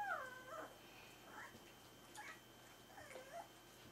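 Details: Berger des Pyrénées à Face Rase puppies, four weeks old, make thin, high whines and squeaky yelps. The calls come in short bursts about once a second over quiet room hum.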